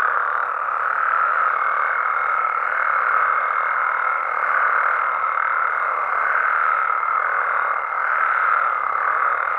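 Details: Mexican frogs and toads at night, calling together as a thick, constant croaking chorus with a faint higher whistled tone running through it, gently pulsing in loudness every couple of seconds; nothing else clearly heard.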